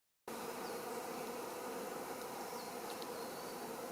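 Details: Wild honey bee colony living in a fir trunk: a steady, even, low droning hum of many bees that starts abruptly and holds without change.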